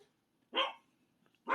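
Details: Mother dog after giving birth, indoors, giving two short sharp barks about a second apart in a quiet room.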